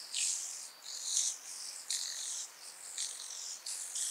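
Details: Speckled buzzing grasshopper recorded at Vorderriss, Germany, on 11 August 2022: dry, hissing rattle bursts, rough and uneven, blurring together at times, roughly one each second against a quiet background.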